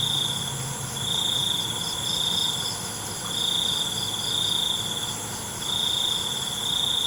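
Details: Night-time crickets give sustained high trills in uneven bursts, separated by short pauses, against a continuous background of buzzing insects.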